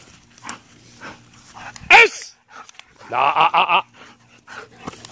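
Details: Belgian Malinois named Ares, indoors, giving one sharp, loud yelping bark followed by a quick run of four tonal, wavering whine-like pulses; soft Spanish speech and small clicks in the background.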